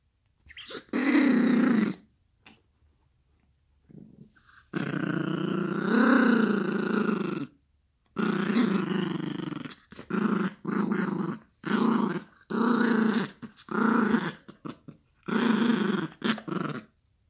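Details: Yorkshire Terrier puppy named Gracie growling while playing with a toy indoors, long rough growls of one to three seconds in bursts with short pauses, rising and falling in strength, the final growls chopped into rapid pulses.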